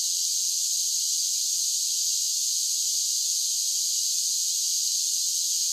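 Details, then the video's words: A steady, sizzling wall of summer cicada song, high and hissing, holding an even level throughout without breaks or other noises. "10 Hours of Cicada Sounds for Relaxation with Soothing Summer Nature Sounds"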